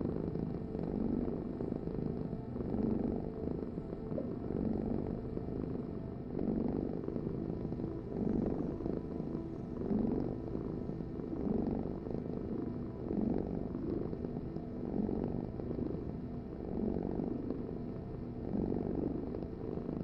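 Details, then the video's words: Long steady cat purr, low throaty rumble waxing and waning with inhale and exhale about every two seconds over twenty seconds, quiet background. "Heal with the ultimate cat purring vibration"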